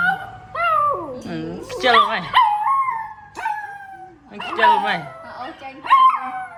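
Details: A pet puppy, said to be absorbed by its owner's phone, lets out drawn-out howling whines that rise and then fall, in two main bursts with a quieter stretch between, over nearby human voices.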